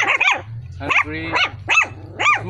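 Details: Dalmatian crossed with an Askal dog gives a quick run of sharp, high yipping barks, about five in under three seconds, with a low steady hum underneath.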